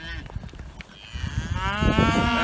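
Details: Dexter cattle, bored of their grazing and excited about fresh grass in the early morning, give a rising, strained moo that builds toward the end over low rumbling and footsteps or handling noise.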